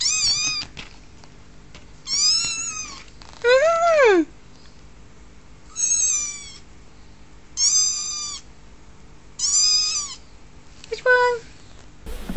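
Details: Kittens meowing in a row: seven clear high-pitched mews roughly every one to two seconds, some arching up and down, one sliding steeply downward, with a quiet background.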